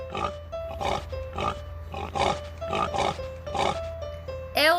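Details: Pig grunting, a steady series of short, rough grunts about every half second, set against light children's music with a simple repeating melody.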